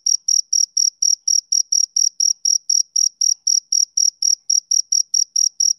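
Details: On a summer evening, a male cricket chirps rapidly, shrill even pulses near four per second, loud and uninterrupted, with no other noises.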